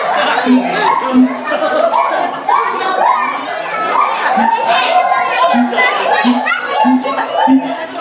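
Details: Siamang at Ragunan Zoo calling with repeated deep booms and loud rising whoops, with people chattering nearby.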